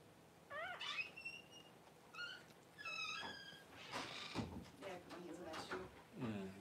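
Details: Newborn Cavalier King Charles Spaniel puppies, among the first two whelped by the mother dog Paris at home, give a run of high, arched squeals with stacked overtones, several in quick succession, before human voices and shuffling indoor noise take over.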